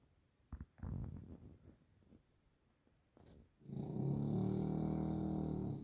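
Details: Grizzly the Bulldog: scattered soft snuffles and clicks, then a strong sustained snore, a steady vibrating rumble with rapid pulsing, filling the last two seconds.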